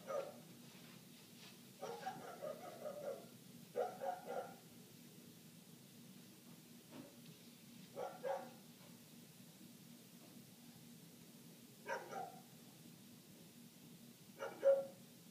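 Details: Neighbor's dog barking nonstop, heard from indoors through closed windows: muffled, distant barks in short clusters of two to four every few seconds over a steady low household hum.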